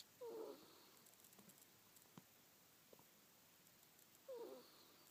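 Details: Sleeping pet ferret Manyunya snoring: two short, husky, wheezy breaths about four seconds apart, with near silence and a few faint ticks between them in a quiet indoor room.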